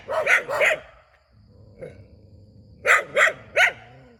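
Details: Dog barking beside a rubber plantation: two sharp barks, a pause with one faint distant yelp, then three more loud barks in quick succession, each bark harsh with broad upper tones.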